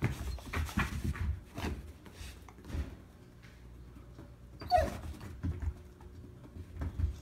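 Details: Abby, a dog adopted from a shelter, waits patiently indoors for her toy and gives a quiet 'inside bark': short soft huffs and whines with one sharper yelp midway, all in a small room.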